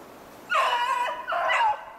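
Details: Beagle baying while hunting snowshoe hare, February 2016: two drawn-out, ringing howl-like bays, each about half a second long with a wavering pitch, the second following after a brief break.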